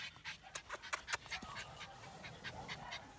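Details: Norwich Terrier puppies four weeks old, three in the litter, at Mouchnice on 25 August 2018; rapid rhythmic panting puffs, roughly five per second, fade gradually, over faint background hiss.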